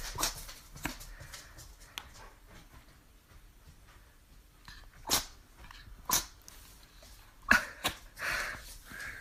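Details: A Chihuahua (Pomchi) dog sneezing indoors; a few short, sharp broadband bursts spaced irregularly, with quiet room noise and faint rustling between them.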